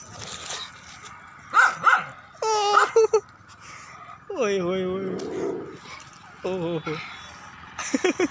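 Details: On a walk, Julie the pet dog produces a run of high, wavering whines and yelps interspersed with short barks, while a man repeatedly calls her to come back.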